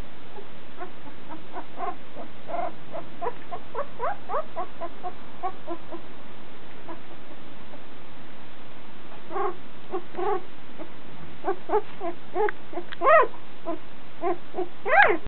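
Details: Irish Terrier puppy aged one and a half weeks, attempting its first steps, uttering repeated thin squeaks and whines, growing into louder, rising squeals toward the end, over a constant hiss.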